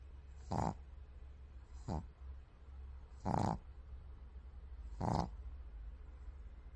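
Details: A white pug snores in rough, breathy rasps that come roughly every one and a half seconds.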